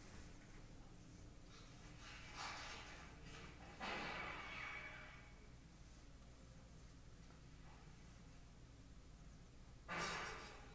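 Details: Bengal cat Spooky reacting with hostility to a Persian neighbour cat behind glass; several rasping hisses, the longest near the middle, another burst near the end, with faint room noise between.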